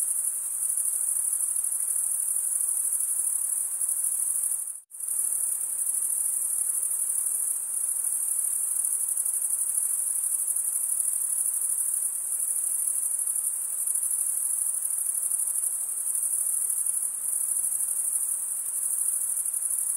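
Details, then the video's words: Crickets, males stridulating by rubbing one wing along the toothed vein of the other, give a continuous high shrill trill that barely wavers, broken once by a brief dropout near five seconds; no other sounds. "cricket sound"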